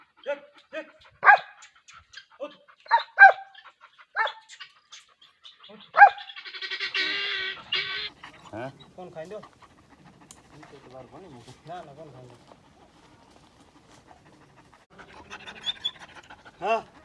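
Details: Dog giving single and paired barks at uneven intervals over the first six seconds, followed by a hissing burst, then quieter low voiced sounds and a last faint bark.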